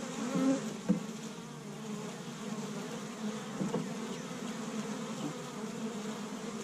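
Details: Honey bees at an established hive on the first warm spring day in Michigan, busy gathering pollen from tree buds. A steady, low droning hum fills the whole stretch, with a few brief clicks or bumps near the start.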